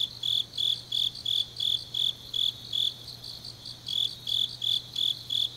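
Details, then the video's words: Autumn grass insects at night in Changnyeong, South Korea, giving bright high-pitched pulsed chirps roughly three per second, pausing briefly mid-sequence before resuming; a quiet constant low hum underlies them. "깊은밤 가을 풀벌레 소리"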